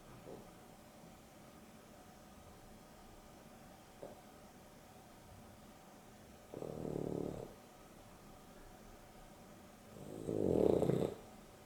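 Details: Pet dog Dexter snores through an afternoon nap beside Rio, the pair a Boston Terrier and a Beagle cross; two broad, rumbling snore breaths about four seconds apart, the second louder, with faint soft clicks before them.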